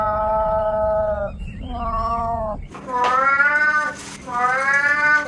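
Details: Cat meows: two long, level calls followed by two louder, rising-then-falling meows that are harsher and noisier, each lasting around a second.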